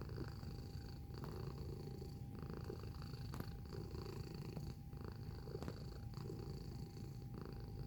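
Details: Purring domestic cat filmed close up, giving a rough, low, unbroken rumble that rises and falls with its inhales and exhales, plus a faint steady whine.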